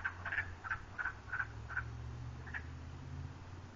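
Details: Frog calls from a river: a quick series of short, clipped croaks about every third of a second for nearly two seconds, then one isolated note, with low steady background hum.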